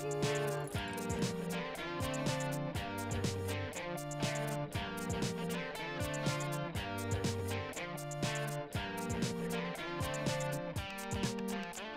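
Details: A rhythmic guitar tune with steady plucked chords fills the whole stretch, and no animal is heard.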